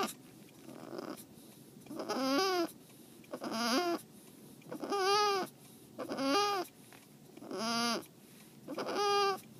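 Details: Tomato, a female domestic cat just after her spay, crying the whole way home; five plaintive meows roughly every one and a half seconds, each rising then falling, over a quiet steady hum.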